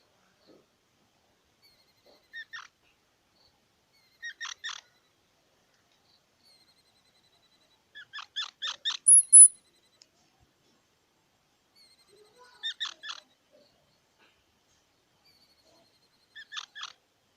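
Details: Quiet squirrel calling in spaced clusters of short squeaky notes about every four seconds, one louder run ending in a thin high whistle near nine seconds, silence between.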